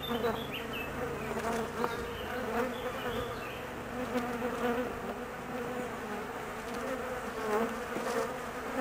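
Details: Nervous honey bees awaiting their queen's return from a mating flight lasting about 45 minutes; a thick, wavering buzz that rises and falls gently in loudness, with faint higher whines passing over it.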